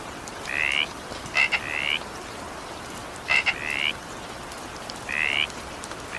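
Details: ['Frog calling during evening rain: short, rising, buzzy notes about a third of a second long, spaced over one to two seconds, with sharp double clicks before some, over a steady hiss of rain.']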